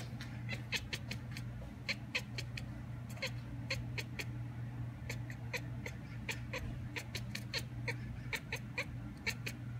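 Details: Cat sitting by the window mimicking a magpie heard calling outdoors: rapid, clicky chattering pulses in short clustered bursts throughout, with a constant low electrical hum underneath.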